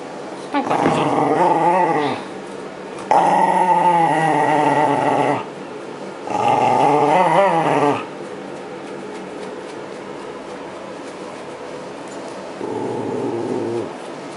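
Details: Shiba Inu being brushed while shedding its winter coat at the seasonal change toward spring, 2012; three wavering, harmonic growling bursts of about two seconds each with short pauses between, and a fainter murmur near the end.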